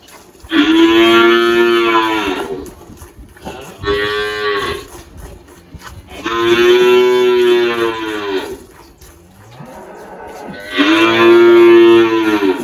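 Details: Eighteen-year-old spotted Girolando cow Malhada, kept on a farm in Anápolis, Goiás, Brazil, 1 March 2023, recently calved: four lowing moos in a row, long, short, long, long, each steady and resonant with quiet gaps between.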